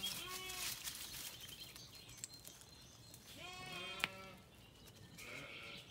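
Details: Zwartbles sheep on a farm in County Kilkenny, Ireland, settling for the night at sunset after feeding, a lamb calling and a ewe answering: two wavering harmonic bleats, one at the start and another near four seconds, with birdsong behind.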